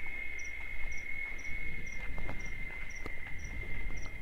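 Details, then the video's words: Cicadas sing their mating song in the Caatinga of the Bahia sertão in late afternoon, a steady, shrill drone with faint regular ticking chirps above it; cicada. "Tempo De Cigarras - Cigarra Cantando"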